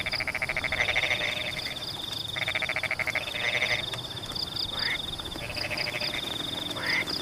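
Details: A chorus of frogs in rainy Pematang paddy fields gives rattling pulsed croaks in bursts of about a second, some with rising notes, over a continuous high trill and steady rainfall.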